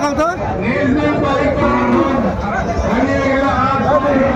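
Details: Sahiwal bull calf at a cattle market in Chattogram, Bangladesh, on 3 February 2025, giving drawn-out harmonic moos over steady crowd chatter and bargaining voices.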